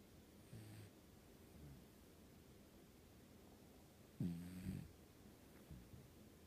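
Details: Cat in deep sleep giving soft, low, rattling snores: a faint breath near the start, a quieter one after, then a louder, rougher snore followed by a short trailing breath, all against a still room.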